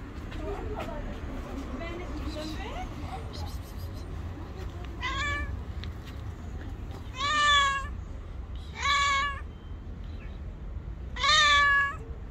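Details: Angry white cat refusing to let anyone come near it, giving a run of loud, drawn-out harmonic meows, each a second or so long with a slightly falling tone, spaced a few seconds apart over a low steady background hum.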